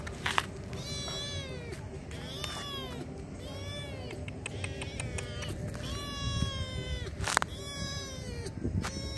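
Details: Hungry stray kittens being fed in a wide car park, meowing in a steady run of high thin arching mews roughly every second, overlapping one another, with clicks and a steady low hum behind.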